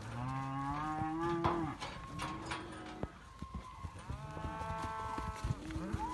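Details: Simmental calf for sale giving two low moos, the first falling away after about a second and a half, the second longer and level, amid clattering knocks and rustling noise.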